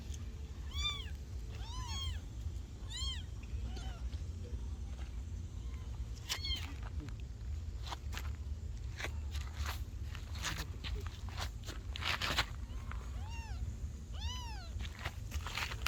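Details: Kittens meowing in short bursts, clear arched high-pitched mews repeated roughly once a second early on, then scattered later, with clattering knocks and constant low background hum between calls.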